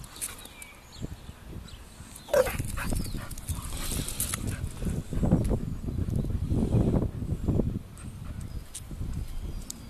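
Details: A pair of Bull Terriers in a fight give deep, gravelly growling that swells into sustained rough bursts in the second half, over a background of scuffling and handling noise.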